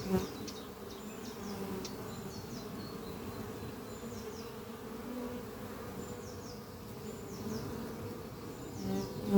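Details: Steady droning of honey bees at hive Doppio on a spring morning, workers bringing pollen to the horizontal oak-chest hive: even low hum throughout, a close bee buzzing loudly at the very end, soft birdsong in the distance.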